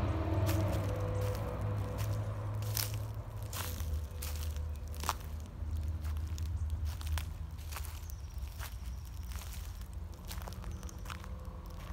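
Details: Low rumbling handling noise with sharp clicks, crunches and rustles throughout, and no animal voice heard.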